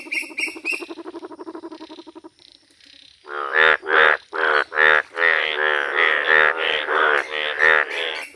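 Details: Bright yellow Indian bullfrogs in a village: a rapid, harmonic pulsed rattle fades out, then after a short pause loud nasal croaks come in a quick run of bursts, several every second, with overlapping callers.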